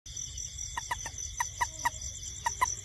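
A toad gives short, clucking notes, often in quick pairs, over a steady night insect chorus.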